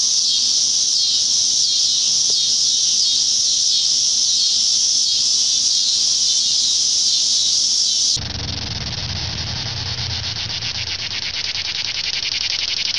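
Cicadas fill the air with a loud, steady, high-pitched buzzing drone.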